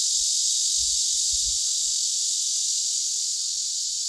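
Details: Asian honey bees (Apis cerana) in Korea give a steady, loud hiss together as a collective alarm against attacking hornets, a defense absent in Western honey bees.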